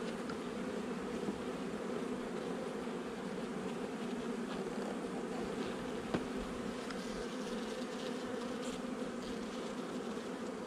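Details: Honey bees in a nuc installed a little over a month earlier, recorded during a hive inspection on 8 July 2020: a steady, dense buzzing drone with a low hum beneath, unbroken throughout, with one faint knock midway.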